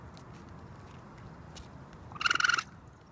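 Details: Raccoon (Procyon lotor), trill call.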